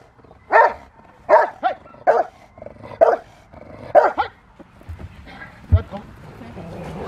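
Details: Rottweiler barking during a protection training session on November 21, 2021, while preparing for IGP1 and Ztp: deep, forceful barks roughly once per second, about eight in four and a half seconds, then quieter scuffling and faint background noise.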